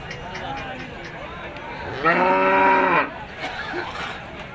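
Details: Cattle at the Khetiya bull market on Saturday 29/04/2023 give one drawn-out, nasal, harmonic moo lasting about a second, steady in pitch, over a continuous murmur of crowd noise.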